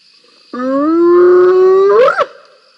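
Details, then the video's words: Spotted hyena squealing during a scrap between two hyenas at Rosie's Pan, 7 November 2021, on a live camera: one drawn-out, tonal groaning squeal that holds level, then bends sharply upward at the end, with a constant insect hum behind. "Fighting Hyenas"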